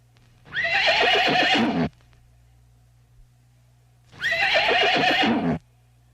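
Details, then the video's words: Horse whinnying twice, each neigh about one and a half seconds long, a loud quavering call with a rough, shaking texture, separated by a quiet pause with a faint low hum underneath. "What do animals sound like? Farm animals - cats, horses"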